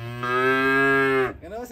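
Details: Cute cow coming down off a truck, giving one steady, low, droning moo lasting just over a second with rich even harmonics, ending abruptly, followed by a brief softer rising sound.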